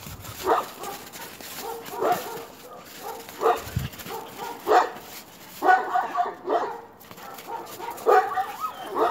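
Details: Alaskan Malamute with another dog, giving repeated short barks and yips in irregular bursts, some closely clustered, with faint background noise.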